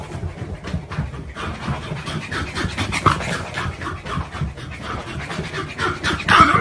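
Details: A pet dog panting hard and fast, breathy rasping bursts about four times a second, held steady for several seconds with a slight rise in loudness near the end, in a quiet indoor setting without speech.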